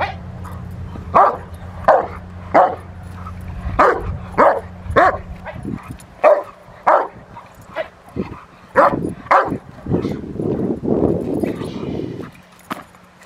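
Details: Rottweiler during protection work on the post, March 27, 2021: a run of loud, deep barks about once a second, then a rough, noisy growling stretch near the end.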